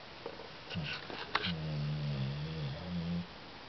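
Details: Aisha, a female Cane Corso, snoring heavily while asleep indoors: after a few soft clicks comes a drawn-out low droning snore lasting nearly two seconds, steady and humming in tone, then quiet.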